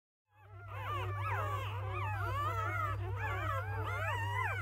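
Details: Newborn field-line Labrador Retriever puppies from a litter of eight, just born to the mother Bee-chan: many overlapping high squeaky whines and whimpers, rising and falling, continuous after a brief silent start, over a steady low hum.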